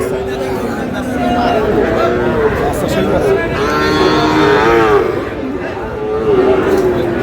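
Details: Sahiwal bull calves for sale at the start of trading at Aftabganj cattle market in Dinajpur, 25 July; a drawn-out, low, harmonic-rich moo swells midway, under constant bargaining voices and crowd chatter.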